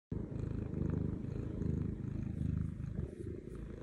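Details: Butters, a happy cat resting on a lap, purring in a deep, steady rumble. It swells and eases with each breath, roughly every three-quarters of a second, in a quiet room.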